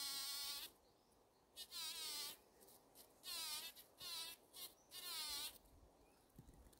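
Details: A female bumblebee buzz-pollinating a wild rose gives short, high, wavering buzzes in bursts, vibrating to shake pollen loose, which she gathers to bring back to the nest as food.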